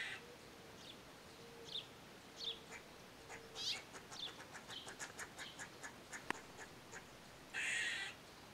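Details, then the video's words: Eastern gray squirrel, recorded on a Nikon D3500 camera with a Tamron 500mm lens: short harsh chucks, a rapid run of clicking notes, then a longer buzzy rasping call near the end, over a faint steady tone. "Gray squirrel sounds"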